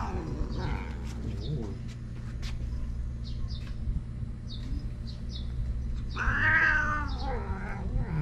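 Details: Bad-tempered stray cat in a Japanese park, growling threateningly after being made to leave a waiting room; low continuous rumbling growl throughout, swelling into a harsh wailing yowl near the end, with people's voices in the background.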